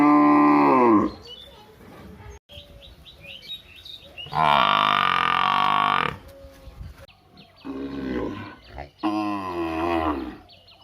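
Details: Cattle and buffalo in a village calling: several separate moos, a short one at the start, a long loud one in the middle and two more near the end, with quieter background noise between.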